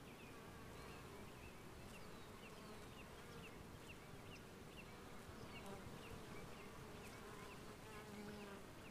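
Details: Western honey bees hum in a steady, low drone of many wings in 2015, with faint bird chirps above.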